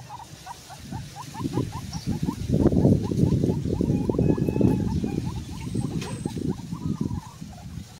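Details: Pet guinea pigs eating vegetables: a quick run of short, squeaky chirps, about four a second, over steady crunching and chewing noises.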